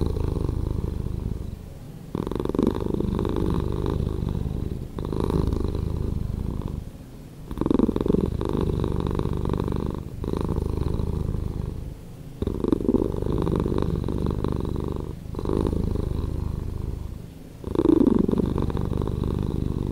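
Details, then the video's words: Slowed-down purring of a domestic cat, a low throbbing drone in long phases of about two seconds, each separated by a short quiet dip as the cat breathes, repeated steadily through the recording. "Cat Purring"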